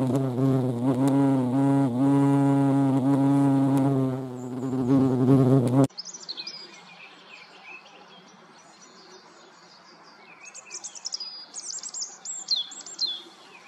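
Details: European hornet (Vespa crabro) at a feeding place: a deep, continuous droning hum for about six seconds that stops abruptly, followed by quiet background with faint, high, rapid chirping.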